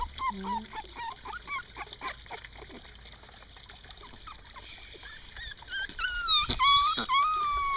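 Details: Three-week-and-one-day-old puppies outdoors give quick, high whimpering squeaks, about two per second, fading in the middle and returning as louder shrill yelps near the end over steady background noise.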